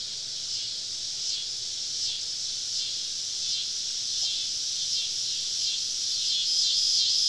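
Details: Summer evening cicadas, all around a campsite deep in southern woods: a high, sizzling drone with rapid wavering pulses that gradually swells louder across the stretch.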